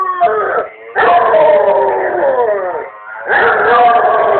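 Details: A Basset Hound howls in long, wavering, mournful notes with brief pauses, set off by hearing a familiar voice on an answering machine.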